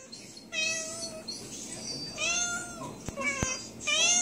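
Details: Recently spayed female pet cat meowing indoors to signal she feels unwell, while in pain from an infection of her internal sutures. Three clear, high meows rise and fall, and two sharp clicks sound between the second and third.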